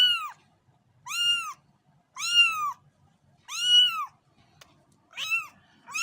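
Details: Kittens meowing: high, clear, arched meows of under half a second each, about one per second, with a faint low rumble between calls.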